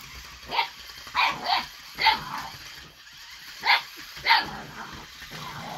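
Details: Eight-week-old Boxer puppy Baron reacting to the lights, sounds and movement of an Ollie robotic toy, giving six short, high, sharp yipping barks in uneven bursts about a second apart, with a faint background hum.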